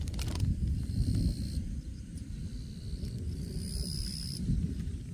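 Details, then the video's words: Grass insects giving a thin, high, steady buzzing trill in two bursts of about a second each, starting and stopping abruptly, over a heavy low rumble of wind or handling noise. "풀벌레 소리~"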